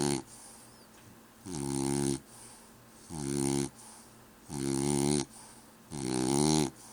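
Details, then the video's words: French Bulldog snoring, loud rasping inhalations with a buzzy harmonic texture, each lasting under a second and repeated about every one and a half seconds, quieter breathing between them, in a small indoor room. "French bulldog snores"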